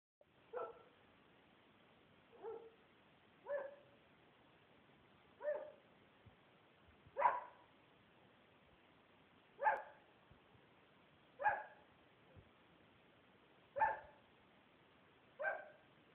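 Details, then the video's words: Finn, a pet dog, barking at the closet where his treats are kept, recorded on an Android phone: nine short, sharp barks spaced about two seconds apart in a quiet room. "Finn barking at the closet where his treats are."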